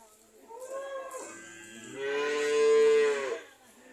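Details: ["An old man's cows, not selling well, heard in two moos: a softer falling low first, then a louder sustained lowing call held for about a second and a half."]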